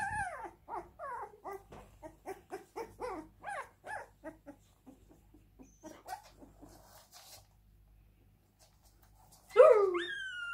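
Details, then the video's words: Siberian Husky crying: a run of short, quick whimpering notes, each sliding downward, that fade toward the middle, then a pause and one sudden loud wavering cry at the end. "Husky crying"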